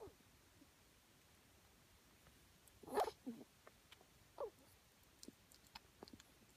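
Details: A female ferret grooming herself in a closet gives a few brief, odd squeaky and snorting noises in near silence.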